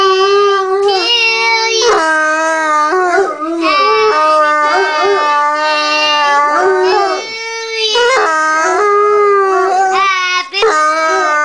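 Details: Pet Bloodhounds howl along as a three-year-old child sings Happy Birthday, in long, mournful, wavering notes that slide up and down.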